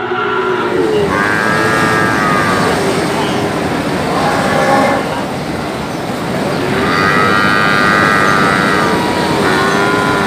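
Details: Brahman and Limousin calves calling: drawn-out, wavering bawls with a rise and fall, one near the start and another around seven seconds in, over constant engine-like rumble and background chatter.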